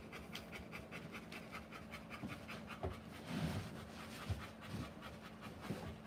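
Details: Panting Rottweiler during a live birth of puppies: quick breathy pulses, less regular, with a few soft thumps and rustles underneath.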